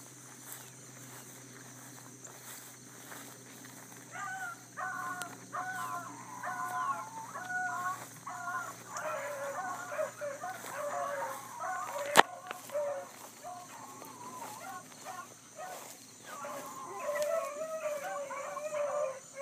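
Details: ['Pack of bluetick coonhounds trailing a big rabbit in the early morning, July 2012, with a young pup learning; after a quiet start, several hounds break into overlapping drawn-out bawls that continue in waves, with a sharp click midway.']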